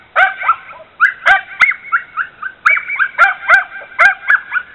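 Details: Border Terrier mix dog that dislikes bicycles, barking at one in the driveway: rapid high-pitched yapping barks in clustered bursts, each sharp onset followed by a short falling tail, continuing without letup, no other sounds.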